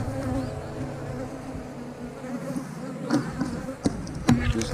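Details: Honey bees droning steadily in a hive being inspected for brood, with layered humming tones. Several knocks and clicks of hive equipment break in during the second half.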